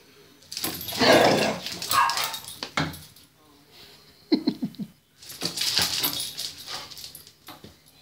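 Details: Two dogs fighting, a Chihuahua named Margarita against a cocker spaniel named Brandy, settling their differences: harsh broadband snarling bursts and yaps crowd the first three seconds, then return in a second rough flurry after a brief lull.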